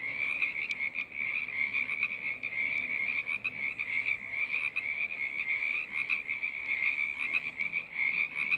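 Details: Many frogs calling together as a choir, a thick high-pitched trilling chorus that never pauses, individual voices blurring into one shimmering, pulsing drone with occasional sharper clicks.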